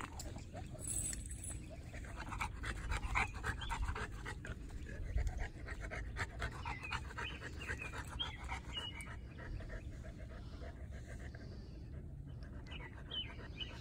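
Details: Steady rapid panting from a three-year-old female North American Mastiff, foundation dog of the breed, recorded April 2019; breathy huffs roughly four per second over a low rumbling background, with faint higher squeaks.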